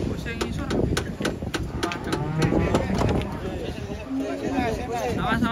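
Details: Cattle being unloaded from a truck at Jelok market, Indonesia: low harmonic moos sound amid busy crowd talk, shouting and clatter, with a short level tone near the end.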